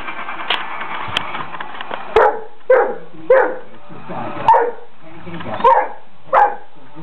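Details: Great Dane named Oliver barking at a toy mouse: short, deep, gruff barks about once a second after an opening stretch of muffled noise, indoors with a steady background hum.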